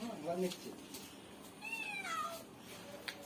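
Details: A pet cat meows indoors while being fed a big piece of fish taken from the fridge; one drawn-out meow with a falling pitch at mid-clip, mixed with women talking in Bengali and household clatter.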